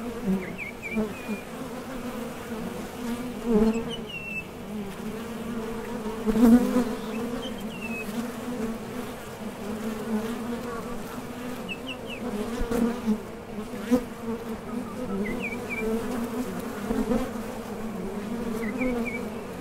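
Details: Honey bees at the entrance of a top bar hive, foragers leaving and landing as they go out for nectar; a steady low droning hum with louder swells as single bees pass close, and faint short bird chirps repeating in the background.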